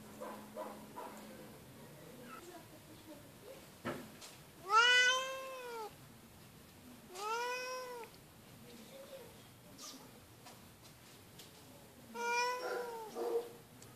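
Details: Feral female cat at an animal shelter, injured and receiving care, calling loudly: three strong drawn-out meows with rich harmonics, each rising then falling, about three seconds apart, between quieter stretches with faint breathy hissing and small room noises.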